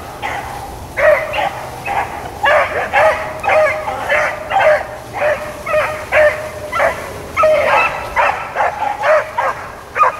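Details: Rabbit-running hounds, Blackcreeks and Blueticks, on April 4, 2013, giving a near-continuous string of bays, each voice ringing and slightly drawn out, several dogs overlapping in rough rhythm.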